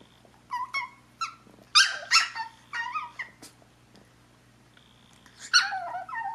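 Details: An indoor pet Chihuahua asking her sister to play: scattered short, high yips and squeaky whimpers, some bunched in quick pairs, with a quiet pause before a final whining yelp.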